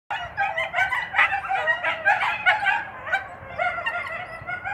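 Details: Captive coyote pair, male Peytah courting female Bella in late February mating season, giving a dense run of high, harmonic yips and wavering short howls that overlap and pulse for about five seconds without pause.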